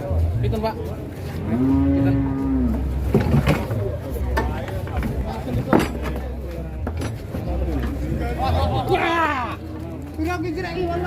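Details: A large sacrificial bull being loaded onto a truck gives a drawn-out, low moo near the two-second mark, then another lowing call near the end, over steady engine rumble and background voices.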